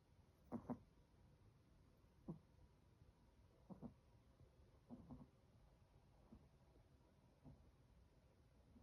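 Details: Sleeping 18-week-old Chihuahua puppy named Chocolate gives softer, irregular snorts: short raspy breaths, sometimes doubled, scattered about six times across nine seconds in a quiet indoor room.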